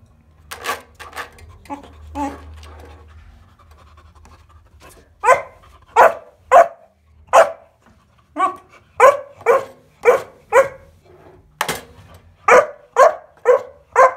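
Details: At home, Bowie, a 14-week-old Kuvasz pup, plays with a bathroom scale: soft rustling and faint yips first, then a run of steady, evenly spaced barks roughly every half second to the end.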